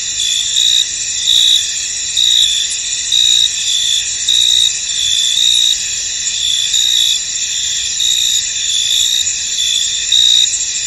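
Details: Crickets in a misty, foggy field: a dense, steady high-pitched chorus with bright chirp pulses repeating roughly every second over a continuous shrill drone, no other clear sounds.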